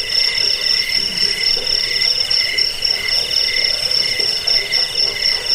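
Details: Cricket chirps meant for chasing off rats, bedtime listening and songbird tutoring: rapid, ringing pulses about four per second over a continuous high shimmering trill, nothing else audible.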